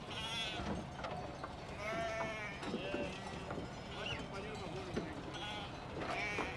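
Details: Transhumant Merino sheep returning to Tierras Altas in Soria, Spain, after wintering in Ciudad Real; wavering, harmonic bleats rise and fall between bursts of people talking, with several animals calling in turn.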